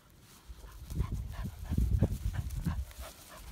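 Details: English Springer Spaniel named Skye, giving a run of short, low, throaty pulses over about two and a half seconds, some with faint higher overtones, with a dull background murmur.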